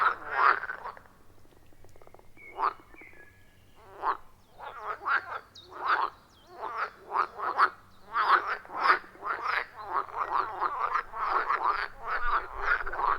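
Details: Wild frogs at a forest pond, captured with an iPhone 14 Pro and Shure MV88+: sparse croaks at first, then a building chorus of short rasping calls overlapping in quick rhythmic bursts.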